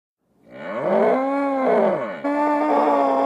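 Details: Loud drawn-out moo from a nervous bull, with wavering arched tones that dip and rise, then switching abruptly to a flat, steady bellow held to the end.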